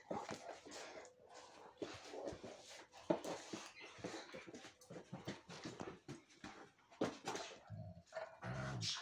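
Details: Young female Rhodesian Ridgeback, still using chew toys and a crate, whining softly indoors when her toy is handed to another dog; short whimpers mixed with clattering, rustling and thumps in a small room, a low voice near the end.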